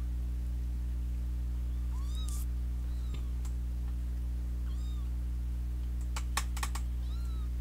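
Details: Fighting kittens plus a big sister cat produce sparse high mews, one short thud, and a quick burst of clicking taps near the end, all over a continuous low hum.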